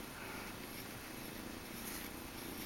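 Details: Persian kitten named Sirocco purring while being groomed; a steady, low, even rumble with no breaks, soft and continuous throughout, recorded indoors.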